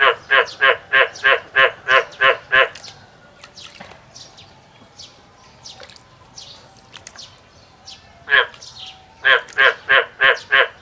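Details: Male frog calling in the field: a bout of eight loud, pulsed croaks about three per second, a quiet pause with faint chirps in the background, then another rapid series of similar croaks.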